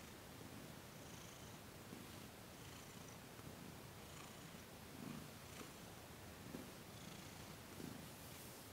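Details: A cat named Thomas purring while massaged during a December 2021 Reiki session; a low continuous rumble pulsing with each breath about every one and a half seconds, over soft room hiss.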